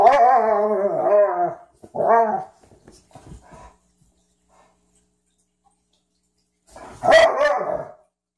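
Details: Ziah and Jacque, a Frenchton and a Rhodesian ridgeback, playing for the first time. Two harmonic growls open the passage, followed by faint scuffling, a long quiet gap, then one more short growl near the end.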